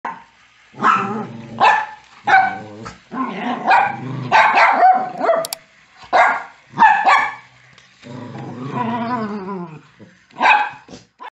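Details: Angry Miniature Pinscher barking and growling: short harsh barks come in bursts, mixed with longer rough snarling growls, with brief pauses between outbursts.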